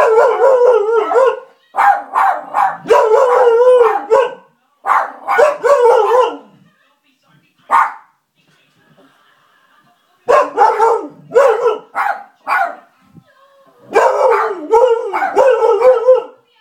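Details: Pet dogs Misha and Milo barking at nothing. Rapid, melodic, howl-like barks come in dense runs, with one quiet stretch midway, then more clustered barking near the end.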